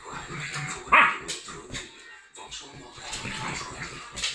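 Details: A Rhodesian ridgeback and a Lhasa apso Jack Russell cross dog at play together; one loud, sharp bark stands out early, followed by scuffling noises, quieter yips and faint background music.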